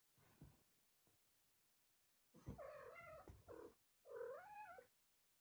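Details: Domestic cat giving two drawn-out, tonal meows after a few soft short sounds, the second meow wavering up and down. The room is otherwise quiet.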